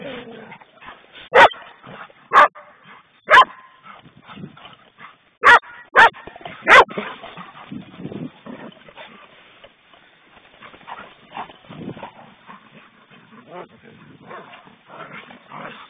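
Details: Poodles at play: six loud, abrupt barks in the first seven seconds, then quieter yips, growly scuffles and a woman's voice urging the dogs on.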